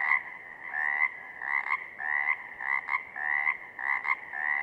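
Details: Chorus of Pacific chorus frogs from southern Oregon, giving bright, rattling two-note croaks roughly once per second, several frogs overlapping against a quiet background.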